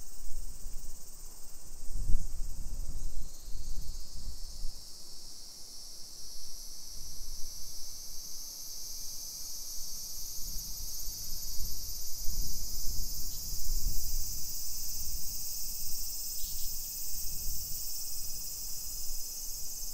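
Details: Chorus of summer cicadas along hillside streets in Nisshin, Aichi Prefecture, Japan, 1 PM, 28 July 2021. A loud continuous hiss climbs slightly in pitch early on and then holds steady, above scattered low thumps of walking.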